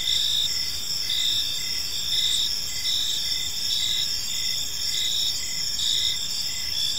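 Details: Evening park ambience of crickets, several insects layering a continuous shrill trill with short repeated chirps roughly every half second to second, steady in loudness, over soft low environmental noise.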